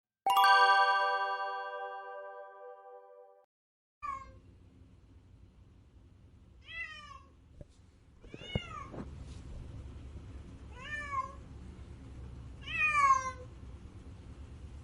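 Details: Crying cat: after a steady ringing tone fades, a series of short, rising-falling meows comes at irregular intervals, growing louder toward the end, over a low background hum.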